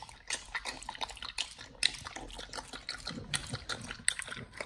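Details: A Pit Bull called Nomyen munching a raw whole Thai duck for the first time, close up: sharp crunches and wet squelching clicks packed tightly together, loud peaks roughly every half second.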